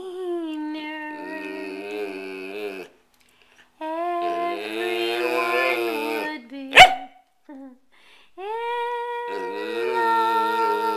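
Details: A pet dog howls along while singing the Oscar Mayer Wiener song: drawn-out tonal howls with wavering pitch, in three main phrases separated by brief silences, plus a sharp click midway.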